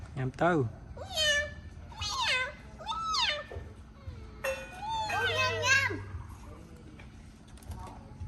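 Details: Abandoned baby kitten mewing while being given its first safe meal; high, arching meows with bright overtones come in quick bursts, about six in eight seconds, over a low steady hum.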